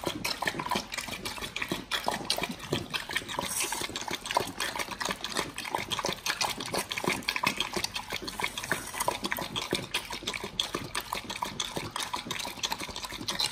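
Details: Pit Bulls working through raw beef shank at feeding time; a steady barrage of crisp clicking bites and wet mouth noises, near-continuous without pauses.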